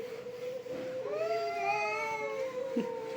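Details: Domestic cats in a fight, one long drawn-out yowling caterwaul held steady, then wavering and rising in pitch mid-clip before settling back, with a brief scuffle near the end.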